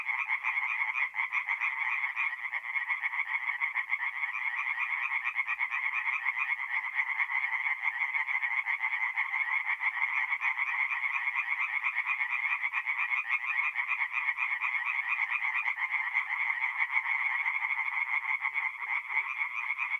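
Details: Night chorus of singing tree frogs at a forest pond in north-east Italy, mid-April; many overlapping rapid croaks merge into a continuous, even rattling band with no pauses and nothing else audible.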